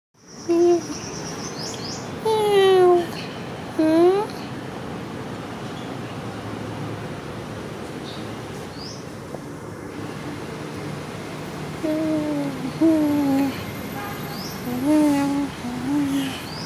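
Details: Friendly, happy cat named Sona after eating, giving several drawn-out meows, some falling and some rising, in two bursts separated by a quiet gap, with faint high chirps in the background.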